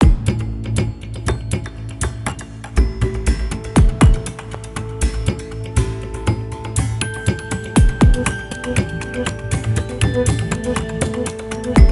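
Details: Plucked guitar-like music with a steady low bass line and sharp percussive taps throughout; no animal voice stands out.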